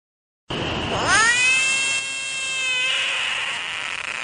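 A frog gives a long, cat-like wailing cry that swoops up, then holds steady.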